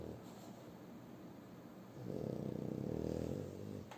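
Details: Asleep and snoring again, French Bulldog Shturm gives one long, grating, throaty snore lasting over a second after a stretch of soft breathing.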